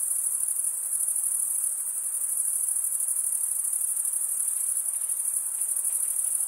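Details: Night-time summer forest chorus of crickets, a bright, piercing trill sustained without a break, finely pulsed and very uniform, a faint low murmur barely present underneath.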